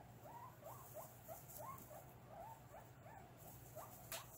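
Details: Guinea pigs squeaking while their cage is cleaned, August 2022: a run of about ten clear upward-sweeping squeaks, roughly two per second, over a low hum with a few faint clicks.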